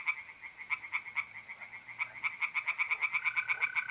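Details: Pond tree frogs calling at night in North-East Italy in mid-April, quick rhythmic croaking pulses that speed up and grow louder over the last two seconds, set against the continuous high trilling of mole crickets.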